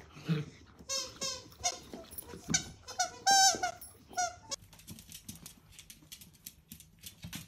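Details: Miniature dachshund puppies give a burst of short, high, squeaky yips and squeals, clustered in the first four and a half seconds, then fade to soft tapping and rustling indoors.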